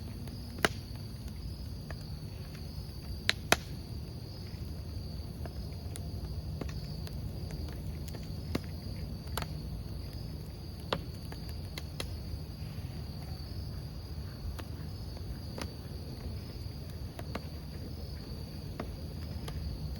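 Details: Crickets beside a crackling campfire: a steady, thin, high-pitched trill runs unbroken throughout, over a low rumbling bed and sharp, irregular pops and snaps of burning wood.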